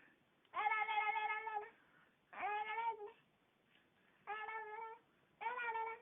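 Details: Ally Davianna, a cat enjoying a gum rub inside a small room, gives four steady, buzzy, moan-like calls, each roughly a second long, with brief quiet gaps.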